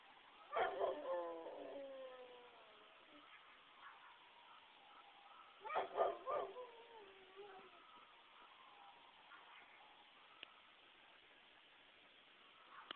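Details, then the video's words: Dog reacting to sirens with two separate howl bouts, each starting in barky yelps that slide downward into short wavering howls, separated by quieter stretches with faint clicks. "Sometimes I howl"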